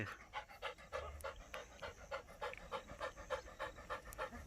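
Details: Curious young German Shepherd puppy panting while exploring an unfamiliar place and seeing a buffalo for the first time. Quick, even breaths come about three times a second over a quiet background.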